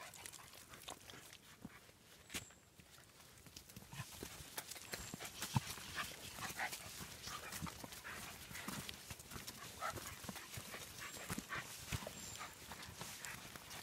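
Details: German Hunting Terriers (Jagdterriers) training on wild boar give short, rough barks in quick irregular bursts, some overlapping, over a constant rustling, crackling background.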